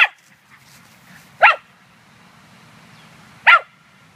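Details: At a dog run on 9 May 2013, female Scottish Terrier Munchkin hunts squirrels rather than playing. Three single sharp barks ring out, spaced about two seconds apart.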